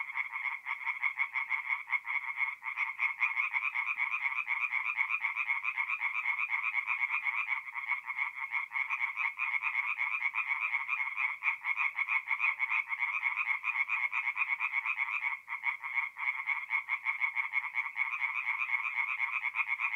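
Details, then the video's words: Forest pond at night in mid-April, north-eastern Italy, alive with singing tree frogs: a continuous, dense chorus of rapid nasal croaks, steady throughout with brief dips. "relaxing forest pond by night with singing tree frogs"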